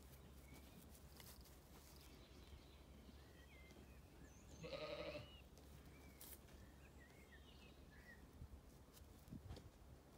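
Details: On a sunny day in an orchard at a County Kilkenny farm in Ireland, a sheep among ewes and lambs gives one short quavering bleat, surrounded by frequent high bird chirps and a low background hum.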